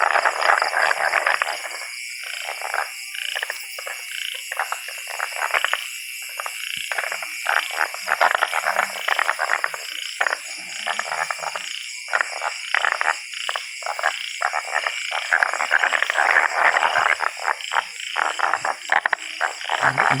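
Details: Many tree frogs calling close by in the Laos countryside of Vang Vieng district while being hunted; overlapping bursts of quick clicking, rattling croaks fill a busy chorus, with constant high-pitched insects buzzing behind.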